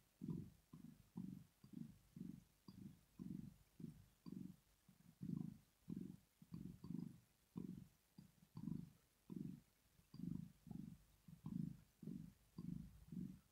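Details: Relaxed and asleep, female cat Rosetta gives a steady, deep purr: some twenty-seven regular low rumbling pulses, each breath cycle about half a second long, with nothing else clearly heard.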